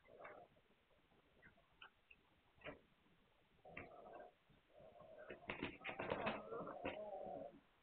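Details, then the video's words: Hungarian Vizsla puppies recorded on 9 March 2021. Scattered clicks and brief squeaks come first, then drawn-out, tonal, harmonic whimpers that swell and overlap near the end, with rustling and shuffling throughout. "Magyar Vizsla Welpen"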